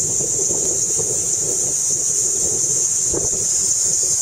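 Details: A Kaempfer cicada, a species that walks around a lot, sings a steady, shrill, unbroken buzz, high-pitched and level throughout, recorded in 2009.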